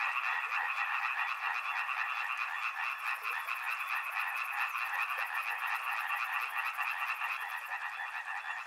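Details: Frogs near a river in a dense, loud chorus of rapid pulsed croaks, with a shrill high buzzing trill, probably an insect, running through the middle five seconds.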